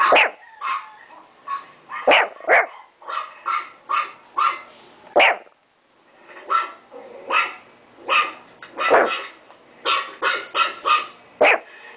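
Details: Domestic Chihuahua barking repeatedly: clipped, high yaps in rapid runs, with a brief silent gap midway before the barking resumes in quick succession.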